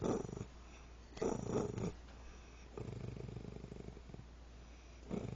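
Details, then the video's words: Angry female dog holding a bone growls in a low, rattling, motor-like rumble lasting nearly two seconds, after short louder bursts of sound near the start; constant low hum underneath. "Funny motorcycle Sound by dog"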